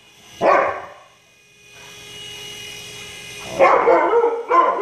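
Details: Siberian Husky barking indoors while chasing a remote-control helicopter around the house: one sharp bark, then a steady whirring motor hum, followed by a burst of loud barks.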